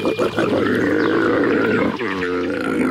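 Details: Camel giving a continuous harsh, groaning moan with grunting pulses, shifting near the end into a smoother, drawn-out harmonic bellow.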